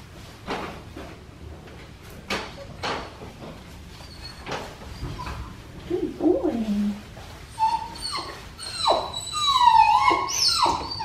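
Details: Neutered black tri male puppy being bathed, giving rising and falling whines and whimpers that grow louder toward the end, over running water and splashing sounds.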